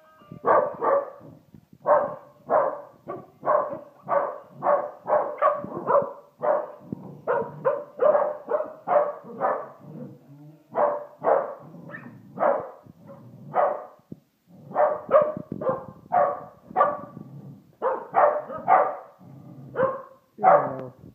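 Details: Austin, a pet Pembroke Welsh Corgi, barks at a Christmas Homer toy set up at home. Loud, sharp barks come one after another, roughly two each second, with brief pauses between bursts and no other sounds.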